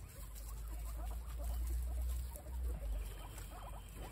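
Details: Guinea pigs eating fresh grass outdoors on a windy day: rapid, irregular crunchy chewing clicks, a few each second, over a heavy low rumble of wind.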